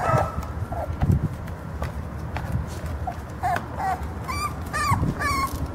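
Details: A litter of short-legged Jack Russell Terrier puppies, one male and two females born 04/10/12 in Mexico, whimper with short, high, wavering whines that come faster toward the end.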